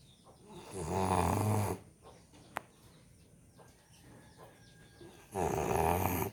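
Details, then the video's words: Sleeping American Bully dog snoring: two loud, rasping snores with a low, rumbling buzz, about four seconds apart. Quiet breathing and one sharp click fall between them. "SNORING AMERICAN BULLY | SLEEPING BULLY"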